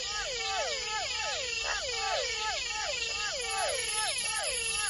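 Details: Toads and frogs call at night in the Amazonian forest, each giving a bright, twanging note that swoops down in pitch, overlapping densely, over a constant high, shrill insect drone.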